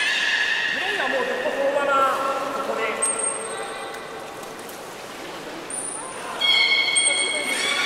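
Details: Belugas at Port of Nagoya Public Aquarium, 11 August 2018, while being moved between pools as keepers tried to exchange Nana and Hodoi; stacked harmonic whistles that bend and glide downward, with thin high squeaks and a late bright tonal call.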